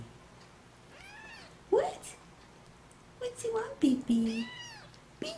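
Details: Baby kitten mewing: an arched, rising-then-falling meow early on and another near the end, with a woman talking and cooing baby talk over and between the calls indoors.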